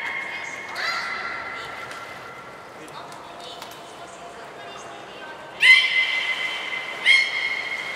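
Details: Captive belugas Hodoi, Gray and Mirai during a training session at Port of Nagoya Public Aquarium on 1 December 2019; a long steady whistle tone, then two loud harmonic, slightly rising squeals near the end in an echoing hall.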